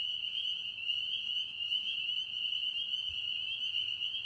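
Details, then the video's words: A Tennessee pond chorus of frogs: many high, piercing voices blending into one constant trilling tone, unchanging from start to finish, over a quiet low background. "Tennessee Frogs Singing"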